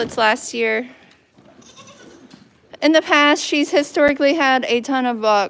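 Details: Goats on a goat farm bleating in short, wavering, nasal bursts, two quick calls at the start, then a louder run of overlapping bleats mixed with human voices after a quiet pause.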